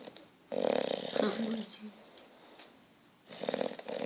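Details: Petruchio, an English Bulldog, snoring while asleep: two rough, rasping snore bursts about three seconds apart, each with a buzzy midrange tone, separated by quieter breathing and faint room noise.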